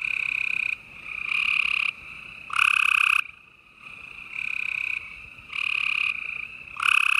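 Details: Gray treefrogs in full chorus at night, Houston, Texas, April 28, 2020: repeated loud musical trills about a second long from nearby males, answered by quieter overlapping trills farther off, no gaps in the chorus.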